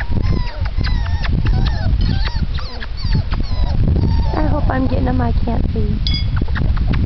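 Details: A litter of puppies four weeks old, crowding the air with many overlapping short whines and yelps, rising and falling squeaks piled closely together over steady low rumbling and a voice speaking.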